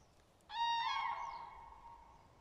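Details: Dachshund Baksik out on a walk with Tuzik: one loud, drawn-out whine lasting about two seconds, tonal with rich stacked overtones, starting abruptly, holding steady, then slowly fading against quiet outdoor background.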